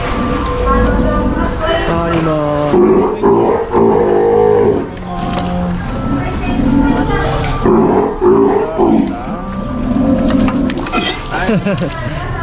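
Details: Female Steller sea lion pup close to one year old, kept at an aquarium in Ise, Japan, in touch training so she tolerates handling without biting; hoarse, harmonic roars come in uneven bouts amid staff speech and clatter.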